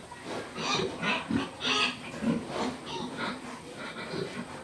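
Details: Pig snorting and grunting in quick, breathy pulses, some with a higher squeaky edge, over a steady low background.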